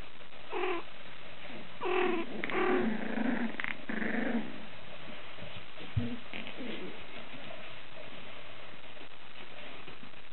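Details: Male tricolour Cavalier King Charles Spaniel puppy, 43 days old, born 25 January 2014, in Hyogo, Japan: several short high whining yelps in the first five seconds, rising and falling, then quieter soft whimpers against faint room hiss.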